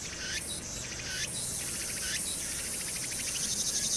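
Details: Summer cicada chorus on Hwangnyeongsan: a few loud stuttering bursts with rising whines give way to a dense, steady, high-pitched shimmer of pulses, backed by soft low urban background noise.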